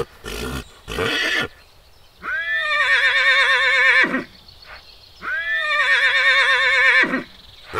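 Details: Stallions fighting in the wild: two long, loud, quavering whinnies, each about two seconds, that open with a rising note and waver steadily. Short harsh noisy bursts come before them.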